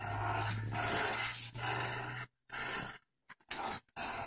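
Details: Four-month-old boxer/pit bull puppy Ginger growling during a game of tug of war, a long rumbling, raspy growl with a steady low hum underneath, then several shorter choppy bursts.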